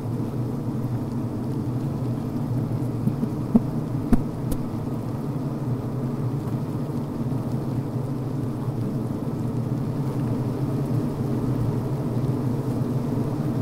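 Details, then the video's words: Low, rumbling hum of honey bees inside a healthy hive on the brood frame, where workers vent, chew and make comb; a few faint ticks and clicks over the steady droning bed. "Sounds from Inside the Bee Hive, Healthy Honey Bee Sounds"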